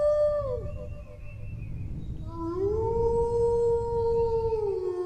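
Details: Howling dog, a short falling tone dropping away, then a rising howl that holds a long steady pitch with clear overtones before tailing off, against low broadband rumble.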